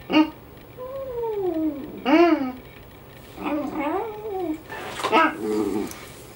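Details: Indoor pet dog joining its owner's howling, giving drawn-out, bending howls that swoop up and down, interleaved with a person's howls and brief louder yelps.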